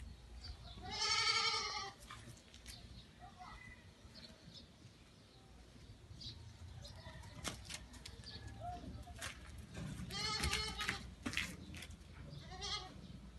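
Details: Dark-coated female goat kept with a buck in Qassim, bleating in two loud, harmonic, wavering calls about nine seconds apart, with faint clatter between.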